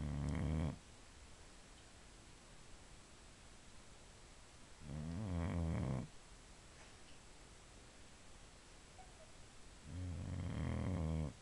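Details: Pet Boxer bitch sound asleep, giving three loud, throaty snores about five seconds apart, each a coarse, vibrating rumble of nearly a second, with quiet room background in between.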